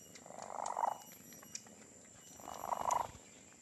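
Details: Doughnut, known as Donat, the pet cat with the loudest purr, gives two rumbling raspy purr pulses about two seconds apart, each rising and fading like a breath, with quiet hiss between.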